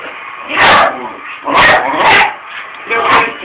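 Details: Blind, diabetic Patterdale Terrier giving four sharp, bright barks spread over a few seconds, over steady background hiss.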